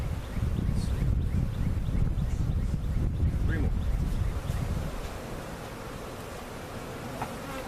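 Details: Cutout honey bees being relocated with their comb to a permanent spot at Jerome Bee Farm in Central Oklahoma. A thick, low buzzing drone, louder for the first five seconds and then softer, with a few faint voice fragments.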